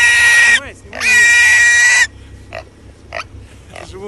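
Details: A wild boar, found sitting alone after its family was chased, gives two loud, harsh, drawn-out squeals of about a second each as people try to catch it by hand.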